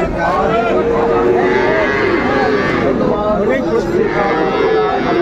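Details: Cattle at a livestock market in Kushtia, Bangladesh, on 6 May 2024, where Sahiwal and Friesian bull calves are sold: long, steady, droning moos stand out over a dense hubbub of crowd chatter.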